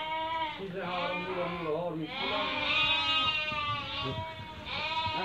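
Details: Merino sheep from a Hungarian import flock during a buyer's selection visit from Türkiye; long quavering bleats overlap in steady succession, with faint human voices mixed in.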